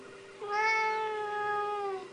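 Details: Siamese cat indoors being coaxed to jump up onto the fridge, uttering one long, steady, slightly falling meow lasting about a second and a half, rich in harmonics.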